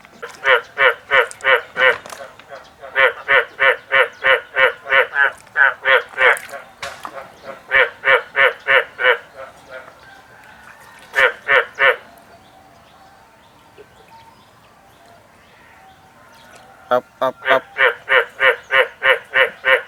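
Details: Frogs answer a person's repeated "up up up" calls in bursts of quick, evenly spaced croaking notes, each burst a rapid run of eight to ten calls.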